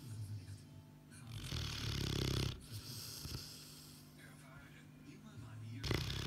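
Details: Boerboel asleep, snoring: soft low breaths, then a long rough snore building around two seconds in, followed by quieter steady breathing and a fresh loud snore near the end.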